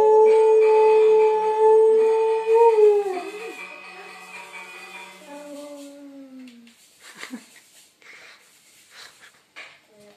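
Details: Czechoslovakian Wolfdog recorded 17 October 2021 holding a long steady howl that drops in pitch after three seconds, followed by quieter lower fading notes, then scattered soft clicks and rustling.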